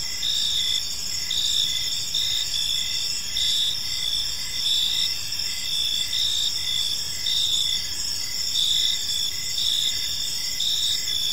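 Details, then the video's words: Several crickets sing together in a park at evening, a high continuous buzz of trills broken by evenly spaced chirps, close to one per second, with no other clear sounds. "Park Serenade: Cricket Sounds in a Peaceful Park | Evening Ambience"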